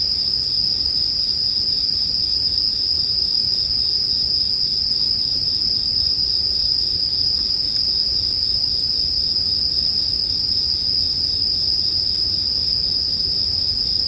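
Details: Steady, unbroken high-pitched ringing of bell crickets runs throughout, layered over gentle crackling from a bonfire in a calming sleep soundscape.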